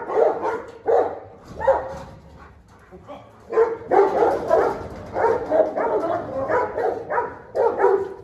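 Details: Fighting dogs, one confronting a dominant 'dog king'. Gruff snarling barks come in uneven groups, quieter early on, then a steadier run of rough growled barks in the second half.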